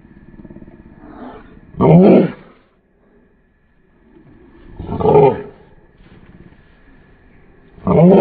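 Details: A Mastiff puppy trying to act tough gives three rough, throaty barks about three seconds apart, with low, steady growling filling the gaps.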